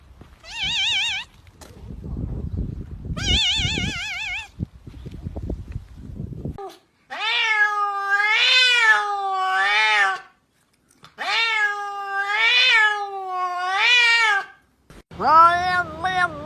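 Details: Talking domestic cats meowing in a long series of drawn-out, wavering calls, each rising then falling, several in a row with brief gaps; warbling musical tones play at the start and a short sharp meow ends the clip.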